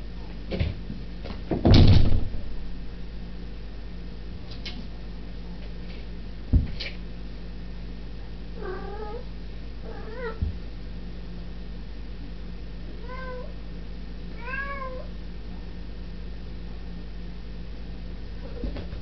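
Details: Domestic cat indoors knocking on a bedroom door while no one else was home: one loud thudding knock and a few softer taps, then several short, soft, rising-and-falling meows in small clusters over a low steady hum.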